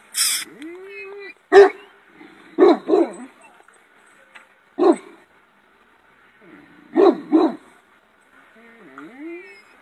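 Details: A Romanian shepherd dog with a powerful bark, recorded in 2018, gives deep barks, singly and in quick pairs, with soft whines between.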